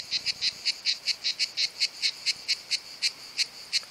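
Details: Cicada singing in summer, one of two filmed, its sound made by tymbal organs: a run of about seventeen short buzzy rasping pulses, roughly four per second, high and dry, with no other sounds.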